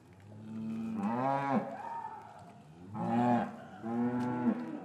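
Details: Gentle lowing of cows in an English cattle yard, winter afternoon, calves separated from mothers; three moos in under five seconds, the first long and falling, two shorter ones following close together.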